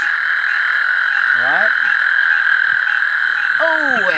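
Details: A male American toad at night in a riverside thicket off a San Antonio River tributary, South Texas, gives a long, steady, high musical trill calling to females, amid thousands of calling toads.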